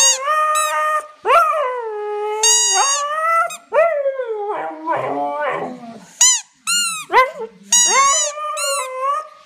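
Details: Siberian Husky howling in a drawn-out, wavering, tonal song: long sliding notes rising and falling, broken by brief pauses and a few short, higher yelping sounds near the end.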